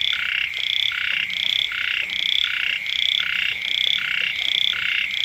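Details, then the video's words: Frogs and small frogs croaking next to a rural home early in the rainy season. Quick pulsed nasal notes come in an even rhythm, about two or three per second, over a dense overlapping chorus. "เสียง กบ เขียด ร้อง อยู่แคมบ้าน"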